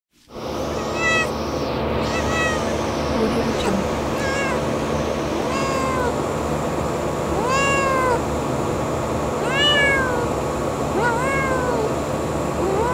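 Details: Kitten outdoors in nature giving a string of short, arched, rising-then-falling meows, about one per second or two, fairly soft against a steady broadband hiss and low rumble.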